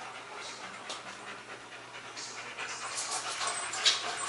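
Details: German Shepherds Max and Ace at play, September 14, 2015: short bursts of hissing, breathy panting that grow louder toward the end over a faint constant hum.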